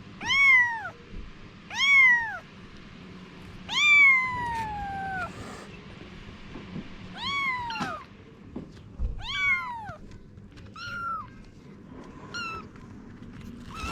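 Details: Mother cat Anna and her kittens: a run of about eight bright, arched meows, the first ones loud and evenly spaced roughly every two seconds, later ones shorter and fainter, over a quiet background.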